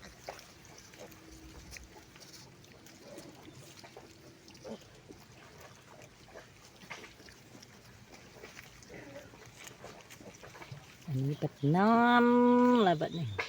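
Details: Wild boar piglets with their mother, digging about and learning to find food: faint rustling and snuffling through most of the recording, then a loud, tonal squeal near the end that rises, holds, and falls over about two seconds.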